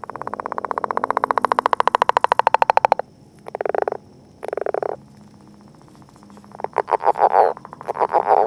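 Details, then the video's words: Northern leopard frog in courtship at a mass of eggs: a loud, fast rattling snore of pulses for three seconds, then two short grunting chuckles, and later a renewed burst of rattling pulses. "Leopard Frog Eggs and Courtship"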